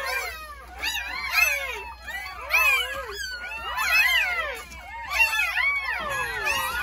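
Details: Several newborn Jindo dog puppies squealing together just after birth, from a litter of nine delivered on New Year's Day at a rural home; shrill, wavering cries rise and fall in dense overlapping bursts, almost one each second.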